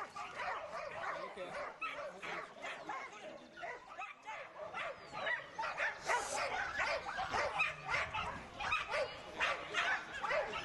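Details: Excited yipping from a Border Collie, clipped barks repeating a little more than once a second for ten seconds, a brief lull near the middle, voices faintly behind.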